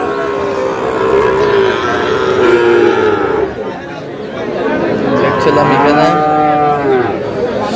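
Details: Sahiwal bull calf in Bangladesh, bought by a farmer from Comilla on 21 February: two drawn-out, low harmonic moos, one early and another after a short pause, with people talking and bargaining over prices around it.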